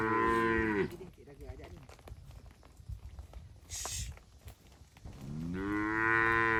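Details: Cattle driven through a forest toward the shed, jumping happily; a moo ends the opening second, a fainter short call follows, then another long moo rises near the end amid rustling.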